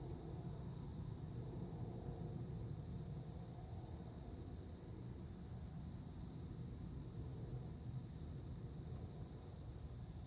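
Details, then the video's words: Courting male cricket, filmed September 29, calling to attract a female that answers and mates with him; high trilled bursts of four or five pulses repeated about every two seconds, with faint high ticking and a constant low hum. "コオロギの交尾 雄の鳴き声に惹かれて雌が応じる瞬間"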